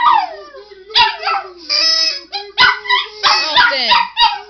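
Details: Domestic dog barking and howling whenever a man sings "you"; sharp barks and quavering, sliding howls break in roughly every second over his sustained low singing, the dog louder than the voice.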